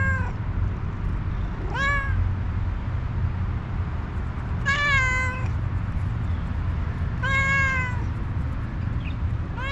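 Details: Stray tuxedo cat with one eye, hungry and angry, gives three to four long, wavering meows, each rising then sagging in pitch, spaced about two to three seconds apart over a constant deep background rumble.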